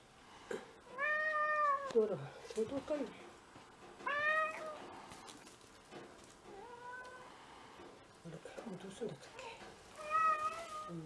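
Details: Pet cat indoors on a first-snow day in February 2023, from a household of six cats; four clear harmonic meows spaced a few seconds apart, some rising then falling, with a person softly calling and rustling between.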